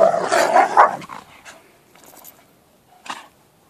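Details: Alaskan Malamute, also called an American wolfdog, with friends on an adventure; a loud, harmonic, wavering talking-style vocalization in the first second, then quieter rustles and one short huff.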